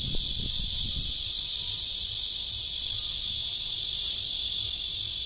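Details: Cryptotympana holsti, the red-veined bear cicada, calling to attract a mate in Guangming Park, Zhongli, Taiwan. A constant high, hissing buzz runs throughout, with a few soft low thumps at the start.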